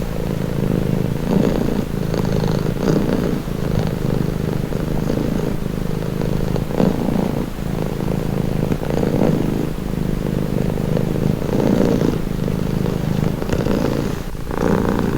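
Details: Cat purring continuously, a throaty low drone with rhythmic swells roughly every couple of seconds as the animal breathes in and out.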